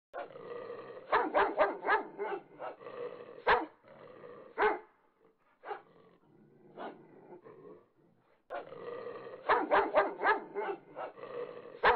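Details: A male French Bulldog, left alone by his partner during a fight, lets out rough, rapid barks mixed with growly grumbles, pauses, then starts again.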